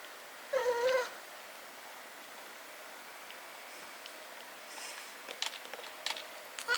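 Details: Riki, a brown tabby house cat, yawning aloud: one short, rising, voiced moan lasting about half a second. Faint clicks and rustles follow in a quiet room.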